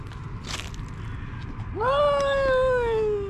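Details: Angry stray cat during a park fight, after a soft hiss, lets out one long sustained yowl that rises briefly then slowly sinks, steady and whining, with low outdoor rumble underneath.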